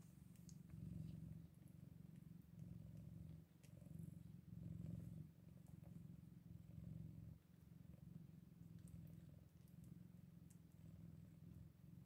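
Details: Scottish Fold kittens eight days old purring in rumbling phrases of a few seconds with short pauses, steady and low, faint rustles in the background.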